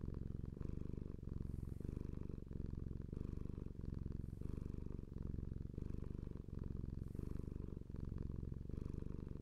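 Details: Purring house cat: dense low vibrating drone rising and falling in regular breathing rhythm, about six cycles, with soft breathy hiss at several breath turns.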